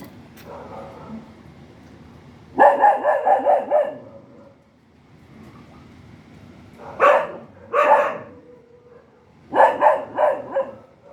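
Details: A dog barks in rapid clusters of four or five harsh, close barks. The clusters are separated by quieter stretches of several seconds with a faint whine and low hum.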